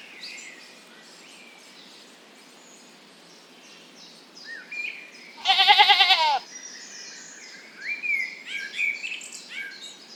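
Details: Lambs grazing in a cool green forest; one loud, wavering, quavering bleat lasting about a second, surrounded by chirping and whistled songs of several birds.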